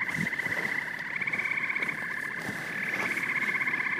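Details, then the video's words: Massed frog and toad calls: rapid, rhythmic pulsing trills stacked into a constant whirring chorus, a few brief knocks underneath. "Frogs and Toads Symphony"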